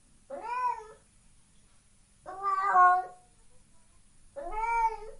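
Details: Cat meowing three times, about two seconds apart; each meow is a clear, nasal, slightly rising then falling cry about half a second long, in an otherwise quiet room.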